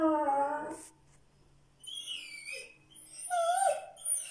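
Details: An Irish Red and White Setter indoors howls back at a friend's howling heard over Facebook Messenger: a short, tonal, wavering howl with strong harmonics lasting under a second, followed by quieter high thin tones and a brief rising whine.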